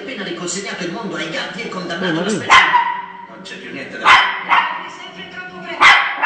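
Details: Shih Tzu named Chocolate defending its territory against dogs seen on television: four sharp, abrupt barks spaced irregularly, over continuous Spanish-language television voices and background sound.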